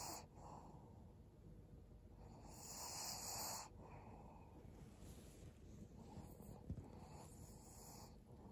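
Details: A 12-year-old fawn female Pug named Maria, a senior dog in Japan, rests in December 2022. One louder hissing breath stands out, followed by softer wheezy exhalations and a brief faint click, over low room noise.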